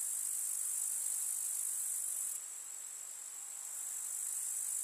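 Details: A steady high, buzzy chorus of grasshoppers from a summer meadow in the country. It softens noticeably halfway through, then gradually builds back up.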